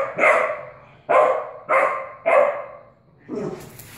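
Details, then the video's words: Untrained puppy barking at a cat in 2016: four quick ringing barks in close succession, then a lower, rougher yap with some rustling at the end. "puppy Raina barking at Boots kitty"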